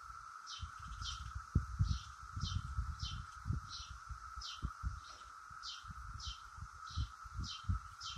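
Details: Periodical cicadas of Brood X high in a willow oak make a continuous, level buzzing drone. Short high chirps repeat roughly twice a second over it, and low thumping rumbles of wind or handling noise come through beneath.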